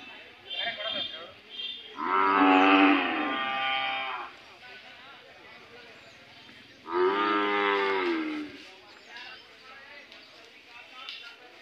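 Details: Hallikar cattle at the Cheluru cattle fair in India: two long, loud, deep moos a few seconds apart, each a sustained, rich bellow that swells and fades, with fair crowd noise and faint voices between them.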